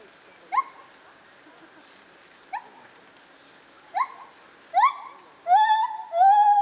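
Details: Lar gibbon at Zoo Opole, 2015: sparse, sharply rising hoots spaced one to two seconds apart, then louder, longer, richly harmonic hoots running together at the end.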